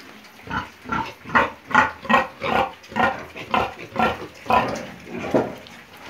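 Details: Piglets in Romania, a fast series of short hoarse grunts, about two per second, irregular and overlapping, in a reverberant space.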